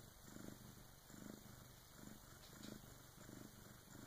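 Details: Rhythmic purring of Karma, a Bengal cat, during the birth of her first kitten with her big sister helping; low vibrating swells come roughly every three-quarters of a second in a quiet room.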